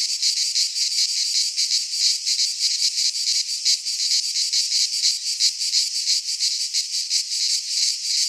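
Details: Cicadas singing in midsummer in a Greek pine forest: a dense, harsh, high buzzing that pulses about three times per second, with no other sounds.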